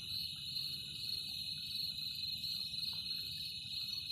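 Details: Cricket producing a loud, constant high-pitched trill with a pulsing texture and no pauses, plus a soft low rumble in the background.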